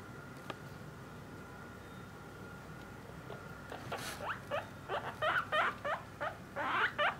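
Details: After a quiet start with faint room noise, a caged pet guinea pig from a parent-and-offspring family begins short, upward-sweeping squeaks, growing louder and more frequent over the last three seconds.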